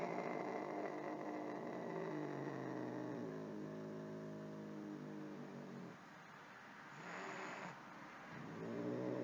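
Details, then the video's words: Angry domestic cat giving a low, drawn-out growling yowl with many stacked overtones, steady for several seconds then breaking off briefly before resuming; a short hiss-like burst in between. "Angry Cats Meowing"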